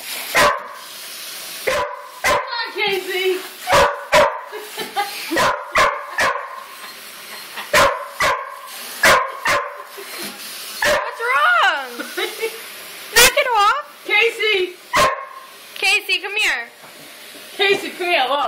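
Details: Border Collies Casey, Jersey and Fenway bark sharply and repeatedly, joined by rising and falling whines and yelps, while a person speaks over them; recorded on an Android phone.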